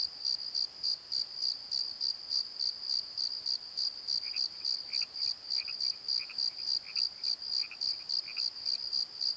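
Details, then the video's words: Night crickets in a valley bottom, rapid rhythmic high-pitched chirps repeating roughly three to four times per second, with a second soft series of short mid-pitched chirps joining partway through. "Crickets and Croaks! Pozo Night Tree"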